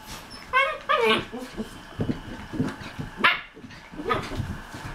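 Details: Three 7½-week-old Australian Shepherd puppies wrestling and playing together give high, squeaky yips and short growls, with faint human voices behind.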